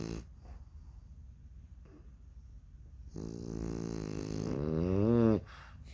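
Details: Baby French Bulldog puppies in deep sleep snoring in turn: one long, buzzy snore swells steadily louder over about two seconds, its rough harmonic tone bending upward at the end before cutting off, with quiet breathing before it.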